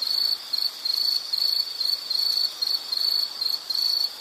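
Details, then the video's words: High-pitched insect trill delivered in rapid buzzing bursts, some short and some drawn out, with slightly irregular pauses between them, against soft background hiss. "Sound · Nature Sound of nature sounds scenery L · insect"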